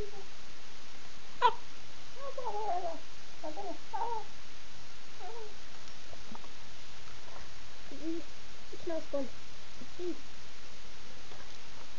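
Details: Two Husky pups, Demon the grey-and-white one and Rosco the black-and-white one, playing together indoors in a small room, July 2007: scattered short whiny yelps and grumbling, wavering cries, with a sharp knock early on.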